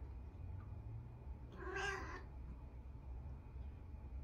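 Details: Female orange cat roaming in a bathtub, asking her owner to turn on the tap to play with water; a single short, bright meow midway through, otherwise quiet indoor hum, with the owner talking around it.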